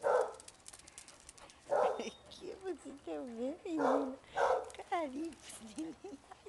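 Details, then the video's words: Playful basset hounds at a kennel trade quick barks with yelping, warbling whines that bend up and down. Vocal bursts come in rapid succession. "bagunça e festa de basset hound"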